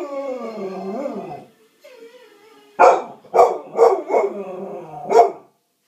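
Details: Cocker Spaniel dog giving a drawn-out whining howl that wavers and falls, a short pause and a softer whine, then four sharp barks in quick succession and a final bark after a brief gap.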